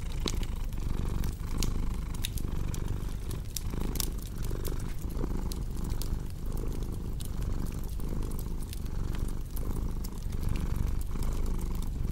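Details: Low rumbling purr from a cat, pulsing gently with its breaths, set against a crackling fire with scattered snaps and pops.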